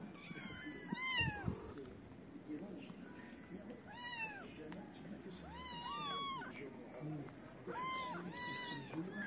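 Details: {'text': 'Homeless kittens gathered around a person feeding them give arched, bending meows in small bursts, two or three close together, over a steady hiss of background noise and occasional soft voices.'}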